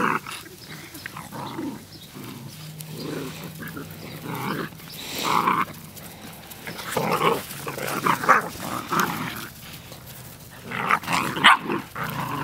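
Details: Several puppies play fighting outdoors on 1/4/2013 keep up a string of gruff growls and snarls, louder clusters arriving in waves with short quiet gaps.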